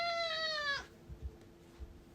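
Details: Pet cat, a house cat wanting to go back outside, gives one long harmonic meow that holds steady then drops at its end, followed by a few soft knocks and quiet room sound.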